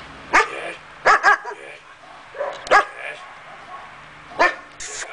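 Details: A five-month-old male German Shepherd gives loud, deep barks, single and doubled, at uneven intervals.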